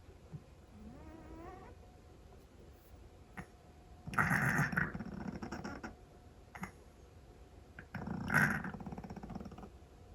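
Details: A sleeping Scottish Fold cat snoring loudly. Two long, rasping snores about four seconds apart stand out over a quiet background, with a faint rising whine near the start.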